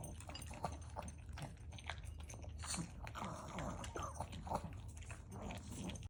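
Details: Maltese dog wolfing down its dry food fast. Crisp crunches and bites come in quick bursts, a few louder snaps among them, over a low background hum.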